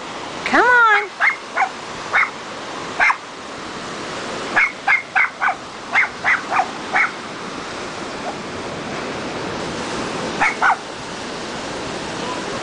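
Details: A Cairn Terrier meeting the ocean for the first time whines, then barks at the incoming waves in quick runs of sharp, high yaps with short pauses, over steady surf hiss. A person briefly urges him on.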